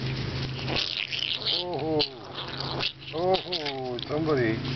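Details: Seven-week-old Boston Terrier puppies playing outdoors on freshly cut grass in a front yard: short arched, tonal whines or yelps rising and falling in pitch, three bursts, over a woman talking and a buzzing insect-like background.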